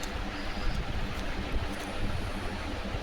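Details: Dense, rumbling broadband noise like wind or passing traffic, with no distinct calls.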